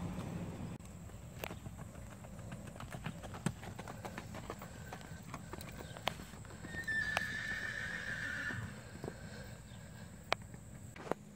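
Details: Nine-year-old black Tennessee Walking Horse gelding, 14.3 hands, a smooth-gaited trail horse, moving with steady clip-clopping hoofbeats throughout; partway through, a single high, thin whinny rises above the footfalls for about a second and a half.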